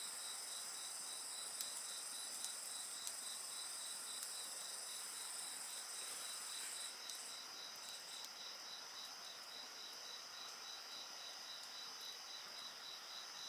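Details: A continuous high-pitched insect chorus with a rapid, regular pulsed chirp, accompanied by a few crackles from a bonfire; the upper ringing layer thins out after about seven seconds.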